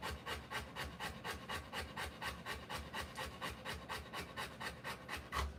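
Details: Rottweiler mother delivering her puppies, breathing in even, rhythmic pants roughly twice a second, each a breathy rasp repeated without pause throughout.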